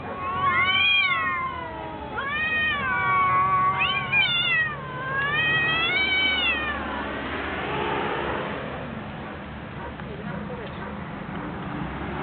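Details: Two cats fighting: long wavering yowls that rise and fall, several in quick succession over about seven seconds, then a rough, noisy burst of sound as the yowling stops.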